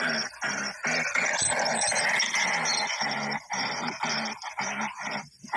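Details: Tibetan Mastiff in a fight with a wolf, with harsh, rasping snarls and growls coming in rough bursts broken by short pauses, some louder high-pitched noise mixed over the fight sounds.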